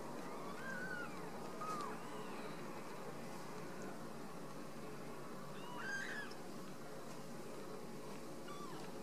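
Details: Ragdoll kittens raised at home in a cattery in central Kansas, not caged: a few thin, high, faint meows with short rising-and-falling arcs, heard near the start and again around six seconds, over a steady low room hum.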